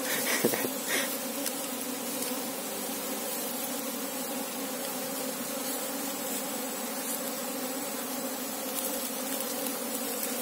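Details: Apis cerana worker hum recorded during a hunt for the colony's queen, an unbroken, level buzzing drone for ten seconds, with a few soft knocks at the start.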